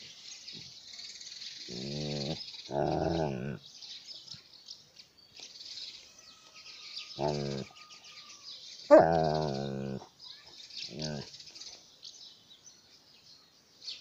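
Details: Alaskan malamute playing with a toy: harmonic, wavering whine-howls and grumbling vocalisations in short bursts around two, three, seven, nine and eleven seconds, the loudest near nine seconds, with steady hiss in the background.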